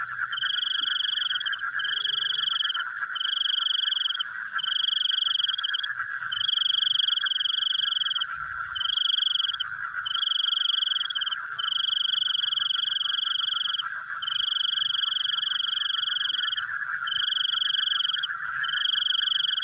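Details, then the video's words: Nighttime frog chorus: shrill, buzzing trills repeat with short gaps, over a constant pulsing hum of many distant frogs. "The Sound of Frogs Chewing in the Night"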